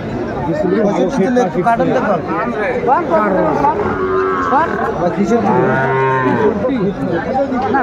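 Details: Sahiwal bulls at Aftabganj cattle market in Dinajpur, Bangladesh, on 28 January 2025, where Dhaka farmers buy. A deep, drawn-out moo with rich harmonics rises near the end over constant crowd chatter and bargaining voices.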